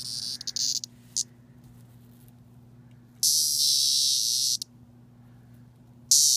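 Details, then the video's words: A 17-year cicada, Magicicada septendecim, 'talkative' when touched during its brief swarm season: scattered short buzzes, then a strong high-pitched droning scream of over a second, silence, and a new burst starting at the end. "The Screaming 17 Year Cicada"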